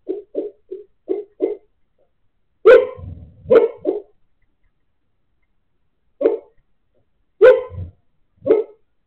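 A sleeping Siberian Husky lets out a run of quiet, clipped woofs, then fuller, huffing barks with a breathy edge. The sounds come in uneven clusters separated by silent pauses.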